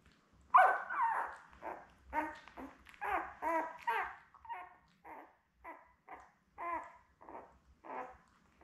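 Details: Labrador Retriever puppies, seven newborns with their mother Belle, born May 24, 2021, recorded by puppy cam June 4. A loud opening yelp leads into a series of wavering, harmonic whines that gradually become shorter and softer.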